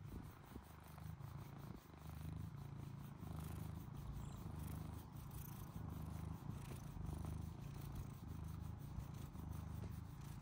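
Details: Purring of a male British Shorthair kitten that loves chin scratches: a steady, deep, throbbing rumble pulsing in regular breaths throughout, close and clear.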